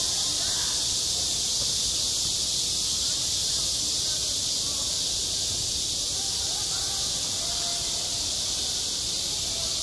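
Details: A steady wall of cicada buzzing fills a school playground in high summer. The shrill, continuous drone never pauses, and a few faint, brief tonal traces show beneath it.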